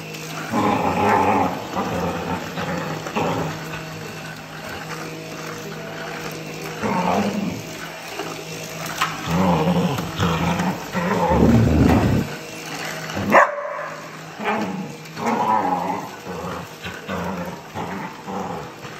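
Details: Border Collie attacking a running vacuum cleaner, giving harsh, growly barks and snarls in irregular bursts over the vacuum's constant loud drone, with a brief pause in the machine noise near the end.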